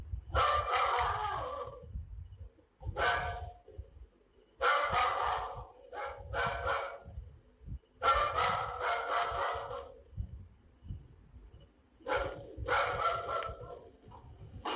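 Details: Repeated bursts of barking from a dog, several quick barks per bout with short gaps between, over a low rumbling background.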